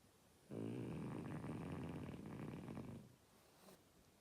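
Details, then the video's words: Oleg, a French Bulldog, lets out one long, loud, rattling snore lasting about two and a half seconds, then falls quiet with only faint room noise. "Французский бульдог - ХРАП."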